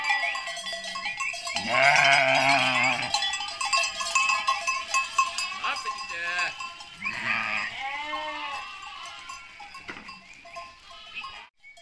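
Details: Ripollès sheep recorded on 30 June 2022, giving loud, wavering, nasal bleats near the start and again midway, with shorter bleats between, over a steady jangle of many animal bells.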